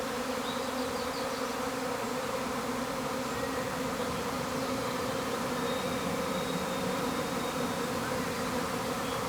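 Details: Honey bee swarm leaving a hive, a dense continuous hum of many bees with steady low droning bands and a constant level throughout, no pauses.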